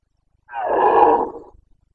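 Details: Single drawn-out roar of a Carpathian red deer stag in the Bucovina mountains, breeding season, 29 September 2022: one rough, throaty bellow lasting about a second, swelling then fading, with nothing else audible.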